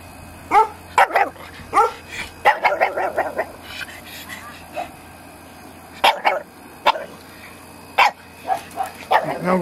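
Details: Elmo the pug pup, a playful farm puppy given to biting fingers, lets out a run of sharp high yips and little barks, some in quick bursts and others spaced a second or two apart, with a man's voice nearby.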